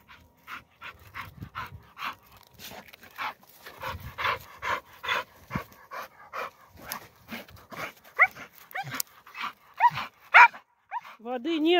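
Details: Standard Bull Terrier Aspid, young and strong, outdoors on a walk: quick rhythmic panting gives way to a few sharp barks and rising, whining squeals toward the close.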